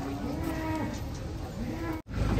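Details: Cattle being unloaded from a truck; two faint, rounded moos with arched pitch contours, the second near the end, beneath steady low rumble and background noise, cut by a brief dropout.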